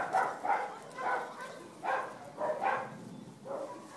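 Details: Dachshund pups beside their mother at Wey Farm in August 2011, giving softer squeaky whines, about six in four seconds, each a brief nasal rise and fall over faint background hiss.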